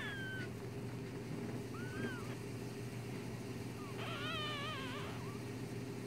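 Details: One-day-old newborn kit fox kits give thin, high squeals that slide and waver over a steady low hum.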